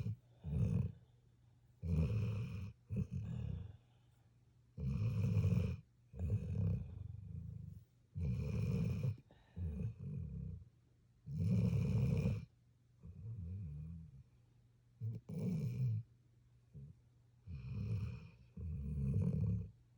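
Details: Rhythmic rumbling snores from a sleeping puppy, each rough breath lasting around a second, repeated through the stretch with short silent gaps and occasional softer wheezy breaths.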